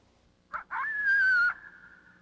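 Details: Coyote (Canis latrans) threat bark-howl: a rough bark, then high-pitched drawn-out howls sliding slightly downward, threatening an intruder in its territory from about a hundred yards away.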